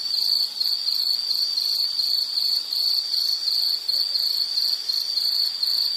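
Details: An insect's shrill pulsing call offered as soothing nature sound for study or sleep; short high chirps run together in a steady rhythmic trill, brief dips in loudness, no other sounds.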